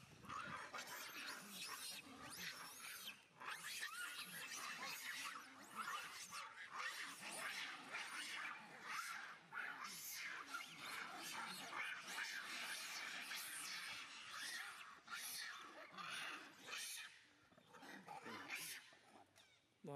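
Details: Young monkey screeching as its mother abuses it, the youngster running to a big monkey; dense run of harsh, high, broadband screams and squeals, about eighty-seven bursts a minute, fairly quiet and irregular throughout.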